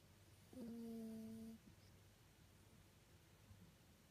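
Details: Sleeping Toy Poodle with a nose weakened by an old injury, snoring indoors in a small quiet room: a single steady, humming, nasal tone lasting about one second, then quiet breathing and faint room hiss.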